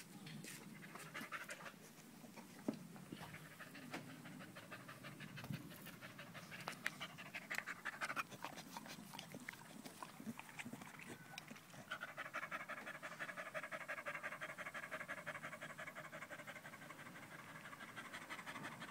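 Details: A dog panting audibly as it stays at a person's leg on 5 August 2013, alongside a Malinois puppy; continuous quick, soft huffing breaths with scattered clicks and rustling throughout.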